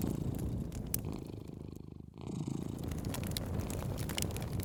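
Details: Cat purring beside a fireplace: a steady low rumbling purr pulsing about three times a second, briefly pausing midway, with crackling fire snaps throughout.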